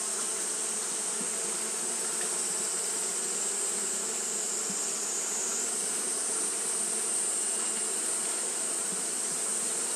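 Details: Continuous fanning of Japanese honey bees on a hot day, heard as a thick, level hum of countless beating wings topped by a sustained high-pitched hiss.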